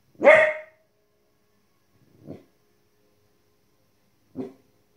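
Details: A female Border Collie puppy, 15 weeks old, barks at animals on TV: one loud, bright, harmonic bark, followed by two much fainter, lower, short sounds spaced about two seconds apart.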